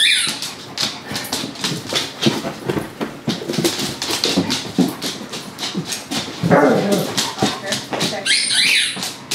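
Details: An adult dog plays with a puppy and other dogs. Quick panting huffs, snarling growls and small yips tumble over one another almost without pause, with a shrill whine late on.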